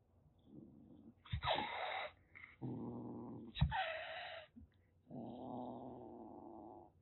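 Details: Rescued calico kitten about six weeks old in Kagoshima, Japan, threatening indoors: low rumbling growls alternate with two sharp, breathy hisses that burst out loudly, then a long steady growl at the end.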